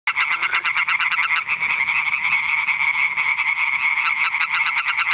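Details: European tree frogs calling at Eichkopf, Hesse, Germany: loud rapid pulsed croaks, harsh and rattling, overlapping in a dense chorus that barely pauses, with bursts of quick clicking notes at the start and end.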